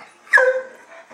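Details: A puppy lets out a single high whimpering yip that starts sharply and trails off in a falling, tonal whine, recorded in a quiet room.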